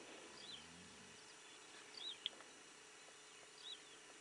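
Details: Steppe pika in Kazakhstan, Pavlodar Region, Maysky District, 8 km south of Lake Sulusor, recorded 22 May 2010: three faint, short, high arched chirps spread over four seconds against a steady background hiss.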